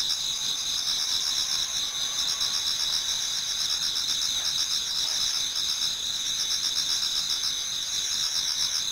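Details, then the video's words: Towards dawn in autumn, numerous insects sing in a Japanese garden, a dense shimmering wall of high, even trilling with beaded pulses along the top tones and faint lower chirring, steady from start to finish. "Autumn Insects voice Towards dawn"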